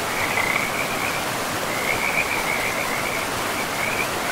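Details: Frogs calling by a river in a pristine forest: short, bright trilled notes repeat in bursts over steady rushing water that fills the background.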